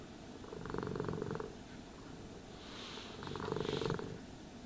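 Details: Cat purring during brushing and grooming. Rhythmic buzzing rumble rises twice, near the first and fourth seconds, with a soft hiss of the brush in between.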